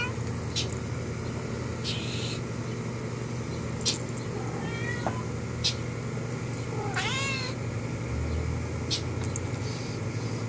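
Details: Cat chatting with a friend beyond the window glass. A faint short mew is followed by one clear, bending meow late in the recording, with scattered clicks and a constant low electrical hum.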